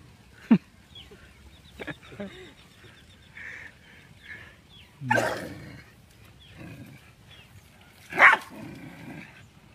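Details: Dogs fighting give three loud separate bursts of barking and snarling, one near the start, one midway and one near the end, with quieter stretches and faint voices between.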